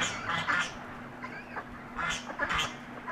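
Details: Piglets at their breakfast feed make a few scattered grunting bursts separated by quieter pauses, with a constant low hum underneath.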